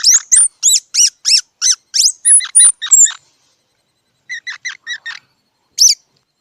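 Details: Loud, rapid squirrel squeaks, about ten harsh piercing notes in quick succession with a couple of thin high whistles. After a silent gap comes a softer run of five chirps, then one final sharp squeak.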